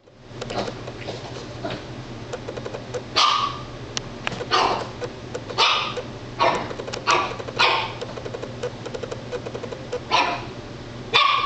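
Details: Female Italian Greyhound barking because she is scared of her own reflection indoors: short, yappy barks in irregular bursts over a steady low hum.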